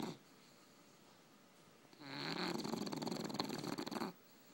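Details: Two tired English bulldogs asleep indoors. A single long, rough, noisy snore swells in after two seconds of quiet, holds for about two seconds with a rattling texture, then stops abruptly.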